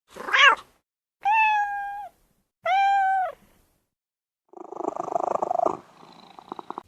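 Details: Cat on a farm giving two long, steady, drawn-out meows of even pitch, preceded by a short, sharp cry and followed by a rough, buzzing sound with faint clicks.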